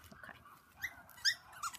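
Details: Havanese puppies from an October 1st litter of four girls and one boy. Three brief, sharp, high yelps arrive in quick succession, each with a bright upward flick.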